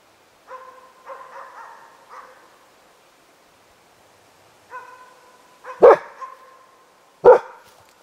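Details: Five-month-old Hällefors Elkhound puppy barking at a moose for its second time, while an older leashed male dog interferes. Several softer tonal barks come first, then after a pause two sharp, loud barks about 1.5 seconds apart.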